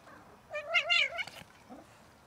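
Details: Domestic cat from a cat family that tries to mate and then eats; one clear drawn-out meow with rich harmonics, rising then falling, lasting under a second over quiet background.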